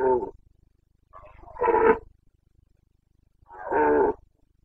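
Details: Red deer stag of the Carpathians roaring in the breeding season in Bucovina, Romania: three harsh, moaning bellows about two seconds apart, the last drawn out and rough.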